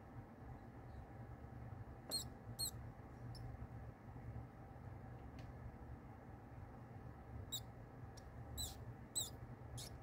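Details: Newborn pinky mouse seized by the face by a kingsnake during live feeding, giving sparse high thin squeaks in short bursts, a few clustered near the start and more toward the end, over steady low room hum.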